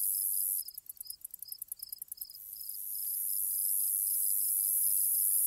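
Grasshoppers chirp in a high, steady hiss, with a run of quick pulsed clicks early on.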